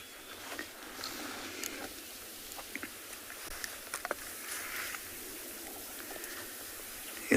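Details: Tamboti jumping bean caterpillars make sparse, sharp, dry clicks inside tamboti seeds, flicking about before pupating until the seeds burst, over a quiet bush hum; recorded on a South African game reserve on an afternoon in November.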